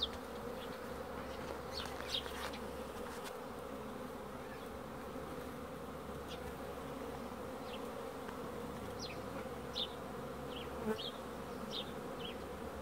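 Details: Honey bee. Honey bees fill the air with a dense, even buzzing drone that holds steady throughout. Brief, high chirps and whistles from small birds break through now and then over the hum.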